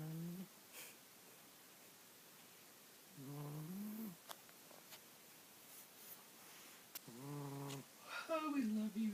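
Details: Mr. Jigilo the cat, called Jiggy, snoring in his sleep: low rumbling breaths every few seconds, the last one rising and wavering in pitch, with small clicks in between.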